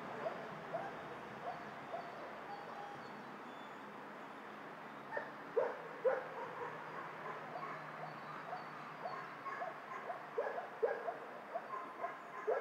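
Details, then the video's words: Dogs at a dog shelter, many barking together at a distance: scattered barks and yips over a steady hiss, with sharper clusters of barks around the middle and again near the end. "Tło dźwiękowe schroniska dla psów"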